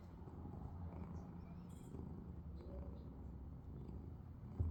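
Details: Sleeping house cat purring, a continuous low-pitched rumble with a faint soft rustle near the end.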